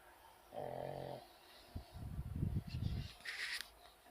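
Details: Pug snoring: a harmonic, nasal tone near 0.6 to 1.2 seconds, then a rough, rumbling low snore with fluttering pulses, and a brief higher hiss toward the end.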